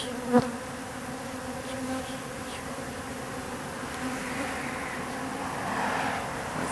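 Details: Swarm of wild bees gathered on an industrial wall in October, thousands of drones among them, making a continuous even hum of overlapping wingbeats, broken by one sharp tap near the start.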